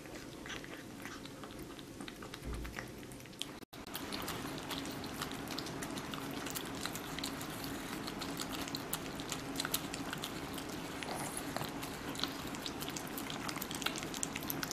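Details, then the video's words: Kitten chewing watermelon steadily, about two to three wet crunching bites per second, sticky smacking and clicking throughout, one brief dropout early on, and a constant low hum indoors. "Kitten vs. Watermelon"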